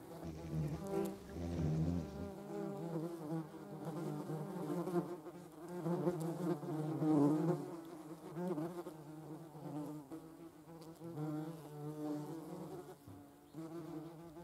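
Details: Foraging yellowjackets collecting protein for their larvae: a continuous low buzz that swells and fades as wasps fly close and away, with wobbling pitch and rich overtones throughout.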